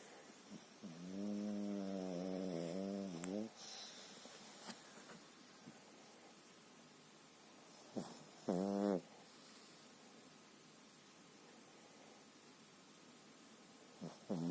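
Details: Pekingese asleep, a habitual snorer heard fairly softly this time: a long, rattling, harmonic snore of about two seconds, then a short snort around the middle and another at the end, with quiet breathing between and a faint household hum.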